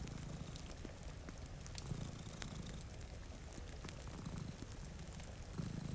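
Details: Soft, continuous low purring from two cats sleeping by a rainy window, its pulses less distinct here. Frequent crackles and pops from a nearby fireplace sit over a faint rain hiss.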